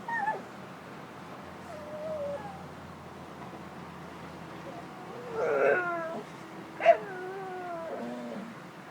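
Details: Pet dog Stella trying to talk: a brief high whine opens, then long gliding whines follow, including a bright, loud yelp-like onset that falls into a sliding tone, with quiet room hush between sounds.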